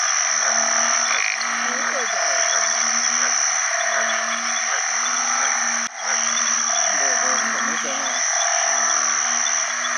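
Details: Banded bullfrogs of the house type call to find mates with other frogs after heavy rain at the rainy season's start. Repeated low, groaning notes overlap, some swooping, over a dense, bright chorus of insects and frogs, with a brief thud midway.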